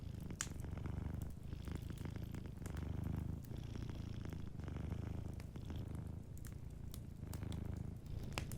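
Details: Sleeping cat's soft, steady purr by a crackling fireplace; the low rumble pulses in regular inhale-exhale cycles while scattered fire snaps and pops sound throughout.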